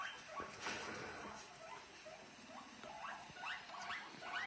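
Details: Two pet guinea pigs make soft, rapid chirping squeaks and crunchy chewing sounds while eating.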